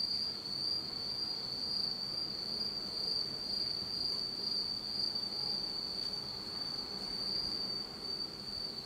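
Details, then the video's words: Insects singing on an autumn night in Japan in total darkness: a continuous, thin high-pitched trill holding one steady pitch, over a soft low hiss of background noise. "真っ暗闇の秋の虫の声 Beautiful sound of insects in the fall of Japan in total darkness."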